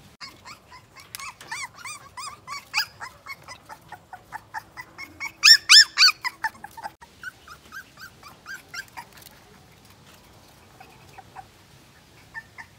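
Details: A two-week-old Siberian Husky puppy cries with rapid, high, squeaky whimpers and yelps.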